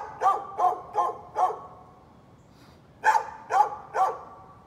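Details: A neighbour's dog, recorded on 13 November 2020, gives four quick barks, falls silent for about a second and a half, then barks three more times. The barks are short, punchy and mid-pitched.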